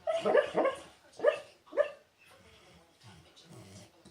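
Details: Sleeping pet dog dreaming, hiccuping and snoring softly, with bubbles forming at the corner of his mouth; a few sharp hiccup bursts in the first two seconds, then quiet low rasping snore breaths.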